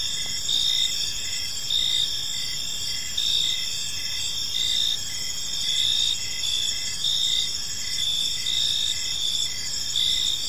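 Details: Crickets sing in a park as evening falls, steady high-pitched trilling from many insects, rhythmic lower chirps roughly every half second, and gentle surges in volume every second or so.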